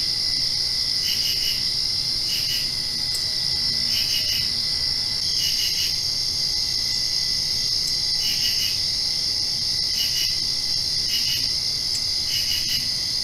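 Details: Night-time crickets just after rain, trilling in an unbroken high drone while other chirps arrive in clustered pulses about every one and a half seconds.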